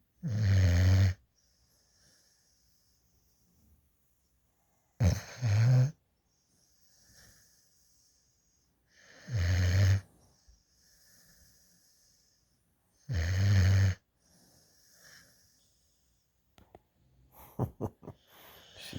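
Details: Sleeping puppy, a young female dog adopted from a rescue, snoring in a lap while drooling with tongue out; four deep, low snores about every four seconds with quiet breathing between, a little rustling at the end.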